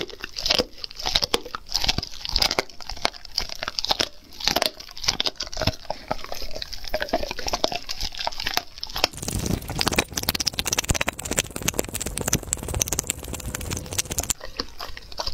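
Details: A dog eats raw food: steady crunching and biting, then a long stretch of dense, rapid crackling and tearing before the crunches return near the end.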